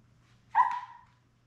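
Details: Newborn Labrador Retriever puppy, one of a litter of seven born May 24, 2021 to mother Belle, on an indoor live puppy cam on June 4: a single short, clear tonal yelp lasting about half a second over a steady low hum.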